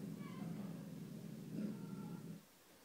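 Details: Pet dog Petey growls at something invisible, giving a steady low rumbling growl that runs for over two seconds before fading to quiet room tone.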